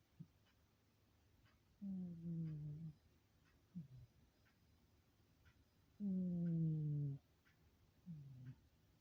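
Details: Domestic cat sleeping quietly in a silent room, snoring: low droning breaths with faint harmonics, two long snores about four seconds apart with short soft snorts between, very quiet; faint regular ticks of a clock behind.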